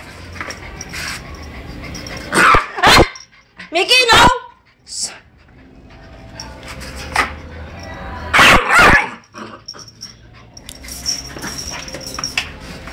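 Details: Labrador Retriever puppy barking: a few sharp, broadband barks around a short rising, whiny call, spaced irregularly over several seconds, with people talking in the background.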